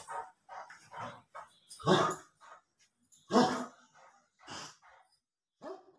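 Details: Great Dane giving scattered barks, two louder broad barks near the middle among softer short yips and murmurs, with quiet gaps in between.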